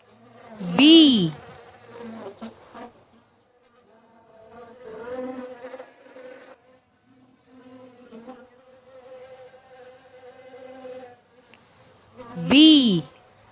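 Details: Bee buzzing in a steady, droning hum with layered tones that rise and fall in loudness through the middle of the recording, framed by two loud sweeping cries near the start and end.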